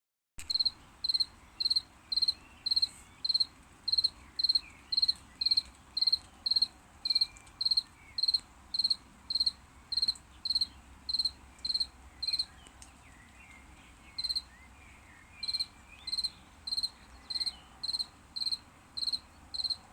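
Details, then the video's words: Crickets chirping after rain: loud, clear high-pitched pulsed chirps repeated about twice per second in a steady series, with a brief pause near the middle; faint low background rumble. "Сверчки Сверчат после Дождя, прям Звонко Звонко"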